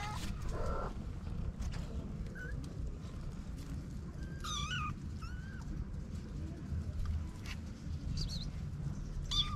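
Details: Feral street kittens with a white mother cat, four young in the litter: scattered thin, short meows, some wavering, spaced through the stretch, over a constant low background hum.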